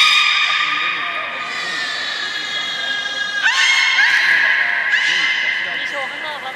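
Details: Beluga in an aquarium, Port of Nagoya Public Aquarium, 16 March 2019, during fish feeding and play; steady buzzy harmonic tones with short chirping whistles sliding upward midway, over a hall murmur.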